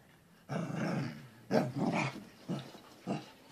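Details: Corgi dog, described as funny and confused, giving rough, grumbling growl-barks in four bursts, one long and three shorter, each about a second apart, with no other sounds.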